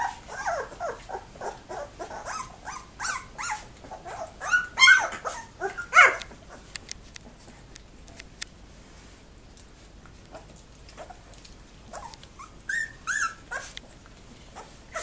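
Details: Very active two-week-old Labrador Retriever puppies in a whelping box at a breeding kennel, 7 December 2011: rapid series of squeaky whines and yelps for six seconds, then a few faint squeals and rustling.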